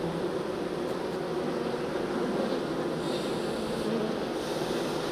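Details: Honey bees being moved from a nuc into a hive, many insects humming together in a steady, dense low drone that holds evenly throughout with no other clear sounds.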